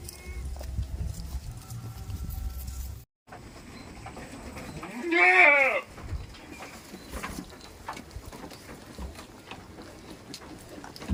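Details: Goat on a village goat farm, the most expensive goat in the village, giving a single loud wavering bleat about two seconds long partway through, rich in harmonics, over low farmyard rumble and scattered knocks.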